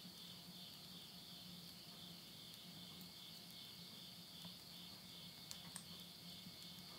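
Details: Insects calling at midnight at the end of summer, September 2020, in countryside Tottori, Japan, beside a wood stove: a steady high shimmering drone runs throughout, with a low hum beneath and a few sharp crackles of burning wood.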